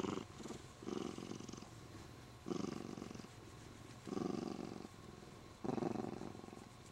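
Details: Contented Siamese cat holding the owner's arm while being petted; steady, deep, grainy purr in five long breathing swells, each about a second long.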